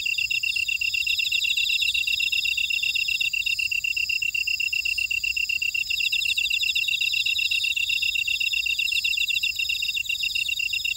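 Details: Field insects in a Jeju Island buckwheat field at Ora-dong, South Korea, keep up a constant high-pitched pulsing chorus, several trilling callers overlapping in even, repetitive rhythms without pause.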